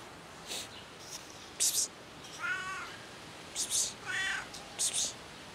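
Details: While rolling about on a car, a cat gives two wavering, harmonic meows about a second and a half apart, each bracketed by short sharp clicking or tapping noises against a low hiss.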